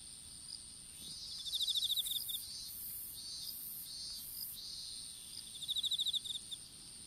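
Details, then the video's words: Strawberry-field insects, caught by a smartphone lying in the field while seedlings were planted: bursts of fast, high, ticking chirps near the start and end, with intermittent buzzy pulses and an unbroken high-pitched drone between them. "虫の鳴き声in いちご畑"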